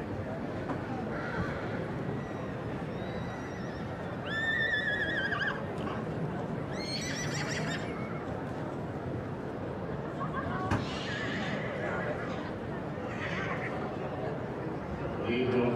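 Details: Three-year-old Welsh Cob colt whinnying, with shaky, wavering harmonic calls that fall in pitch around the middle of the recording, then fainter calls later, over steady rushing background noise and a brief murmur of voices.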